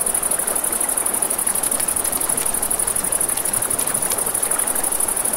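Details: Crickets at night by a river beside a campfire: a steady, high, finely pulsed trill runs throughout, over a broad hiss of flowing water and scattered crackles of fire.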